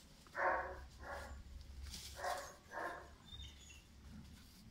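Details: Pirat, a German Shepherd puppy of five months, gives four sharp barks in two pairs, each bark short and strong, with a low hum underneath.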